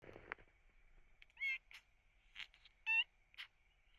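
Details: Rescued kitten with cat flu, sneezing and with badly crusted eyes, giving two short, high, nasal mews about a second and a half apart, its cry sounding pained, over a faint steady high-pitched hum in the background.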